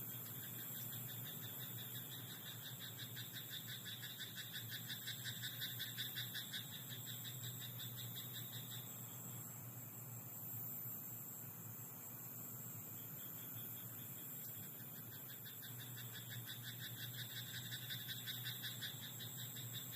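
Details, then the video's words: Rice-paddy frog at night giving long bouts of fast, rattling croaks, about three per second, pausing for several seconds midway before resuming, with a steady high hum and low rumble behind. "田んぼのカエル "Croaking frog in rice paddy at night""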